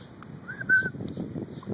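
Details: Pet guinea pig named Milo, chasing after its owner indoors, gives a single short whistled squeak, nearly level with a slight arch, lasting under half a second over a soft low rumble of background noise.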